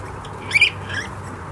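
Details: Nine-day-old mini piglets at chow time, filmed 11 July 2018: a brief high double squeal, two quick pulses close together, then a faint short squeak, over a low steady background hum.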